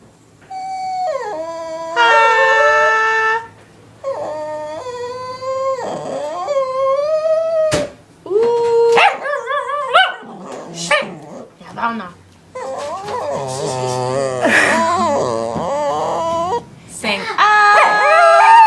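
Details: Pet female dog wanting her bone back, giving drawn-out harmonic howls and whines that rise and fall, broken by short yips and pauses, with a person's voice mixed in at times.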